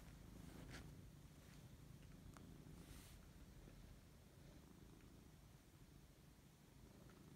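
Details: Siberian cat waking up and enjoying a fuss, purring in a constant deep rumble; a few faint soft clicks and rustles over the steady low purr.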